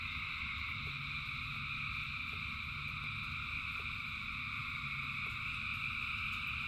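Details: Frogs singing in rain by the thousands: unbroken high trilling layers hold steady across the recording over a low rumbling background, with brief light patters of rain.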